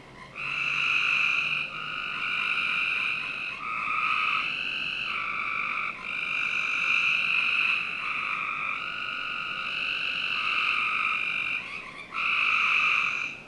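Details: Frogs in a Northern Virginia backyard on a summer night, several buzzy trills overlapping into a near-continuous chorus with slight shifts in pitch between callers, only brief pauses, soft hiss underneath.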